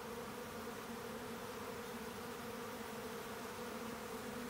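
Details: Brief burst of a honeybee swarm in the act of colony splitting: thick, steady wing-hum with low banded drone and light hiss, evenly sustained.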